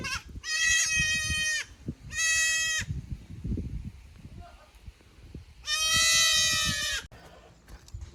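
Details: Young goats at Yoshigake goat farm in Japan, brought up to the upper pasture on 15 May 2024; three strong, drawn-out bleats with a trembling quality, two close together and a longer one after a pause, faint low noise between.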